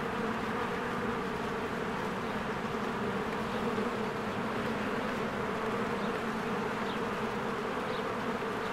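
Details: Many bees work around their cozy hive in spring as trees green and flowers bloom. A broad, unbroken buzzing drone holds steady throughout, with scattered faint bird chirps overhead.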